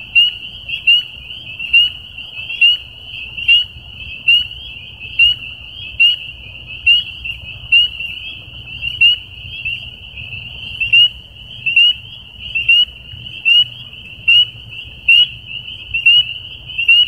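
Sharp, high-pitched peeps from a spring peeper ring out at a steady pace of roughly one per second. Behind them, a continuous shrill chorus of more distant peepers fills the background.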